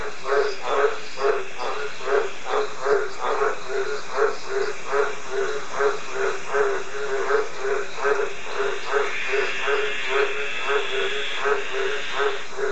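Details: Green tree frog calling in a fast, steady series of short nasal croaks, roughly two or three per second, each a low pulsed note with bright overtones, over a constant hissing background.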